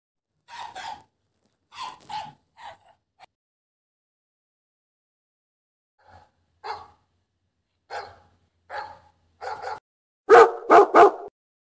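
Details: Chihuahua named Teddy in the morning, giving short, sharp, high yipping barks in uneven bursts, a quiet gap midway, then a final run of three loud, rapid barks close together.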